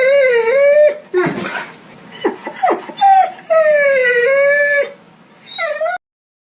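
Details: Hungry dog whining: long, high, wavering whines with short noisy yelps and snuffles between them, ending with a brief whine before silence.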